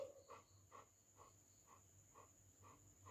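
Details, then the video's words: Soft, rhythmic panting from a golden retriever at play with its owner, breaths repeating about twice a second, with a faint steady high whine in the background. "cute golden retriever dog playing with mom"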